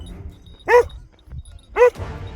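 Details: Shepherd dog, one of three guarding a flock of sheep in open country while the shepherd calls them, seemingly not very aggressive: two loud, deep single barks about a second apart, quiet rumble between.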